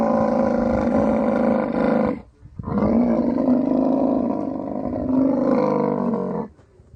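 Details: A camel roaring during mating in the Thar Desert, Sindh, Pakistan. Two long, rough, gurgling bellows are separated by a short gap. Each pulses rapidly and stays loud before it ends abruptly.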